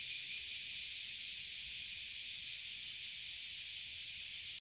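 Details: A tree full of Oily Cicadas and Bear Cicadas (abura-zemi and kuma-zemi) in Toyohashi City, Japan, out as they are every year, making a dense, steady, high-pitched buzzing drone, loud and unbroken from start to finish, with no other clear sounds.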